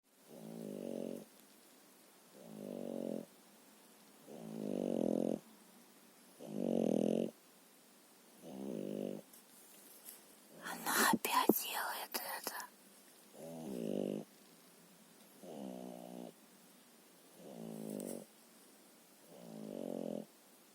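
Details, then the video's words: French bulldog Lilu asleep indoors, snoring in steady low, rasping breaths about every two seconds, nine snores in all, broken once midway by a brief burst of rustling, shuffling noise. "Французский бульдог Лилу храпит"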